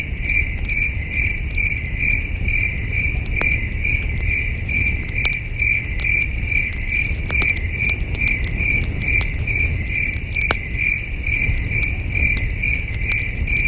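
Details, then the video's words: On a cool, starry night beside a glowing campfire, crickets chirp in the distance, a continuous bright pulsing trill roughly twice each second, with scattered sharp crackles from the fire and a gentle low rumble. "Camping Under a Million Stars with Soothing Cricket Sounds"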